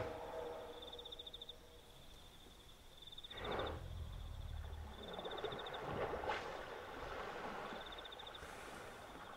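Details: Wild hippopotamus at night by a river in the African bush, Kafue National Park, Zambia: a loud, broad, rough grunting burst near the middle, then a second shorter one, over a steady high insect trill and faint water sounds.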